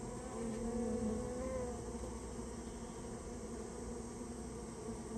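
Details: Dense humming of Japanese honey bees during removal of their nest from a storehouse, a rich, steady buzz with a slightly louder swell in the first second.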